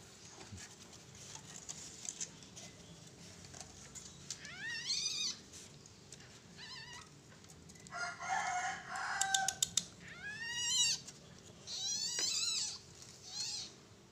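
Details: Baby Asian palm civet being carried to a safe place by its mother after it felt threatened. It gives a series of short, high, arching squeaky cries, some in quick bursts, over a steady low hum with soft human voices nearby.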